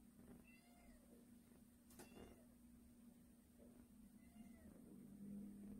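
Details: Indoor house cat, one of two, Pie (white male) and Sunny (tabby female), around a made-to-order cat pole: a short curved meow, a pause with a thump, then a second gentle meow over low mains hum and calls of Pie's name.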